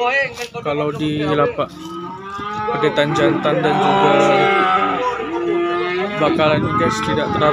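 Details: Cattle at a market selling calves and young bulls; a loud, sustained harmonic moo swells through the middle, with other cattle lowing around it and a few knocks and voices.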